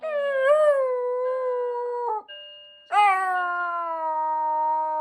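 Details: Shiba Inu screaming at a household fire alarm: two long, loud, steady, harmonic screams separated by a short gap, while a faint steady electronic tone sounds in the background.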